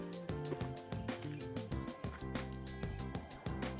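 Steady music with sustained tones and rhythmic low beats, no animal voice audible.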